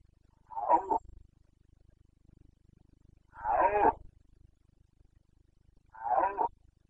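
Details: Rutting Carpathian stag, a red deer, in the forests of Bucovina, Romania, on 29 September 2022: three gruff, roaring bellows spaced about two and a half seconds apart, with nothing else heard in between.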